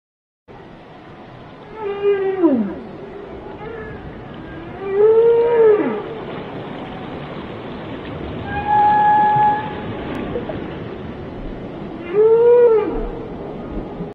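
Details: A whale, recorded up close, sings in long moaning tones that rise and fall, with pauses between phrases.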